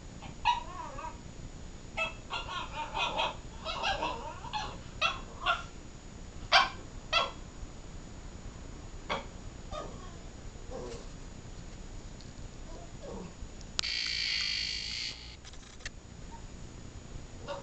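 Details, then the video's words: Bella the miniature pinscher vocalizes at her sleeping chihuahua brother Preston to wake him: a quick run of small yips and whiny barks over the first seven seconds, then sparser squeaks, followed by a broad rustling burst. "Miniature Pinscher talks to a sleeping chihuahua"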